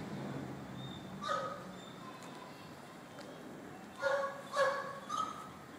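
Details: Border Collies in a ball-crazy pack at play: one thin yelp early on, then three quick, high-pitched whining yips clustered near the end, with faint background rumble.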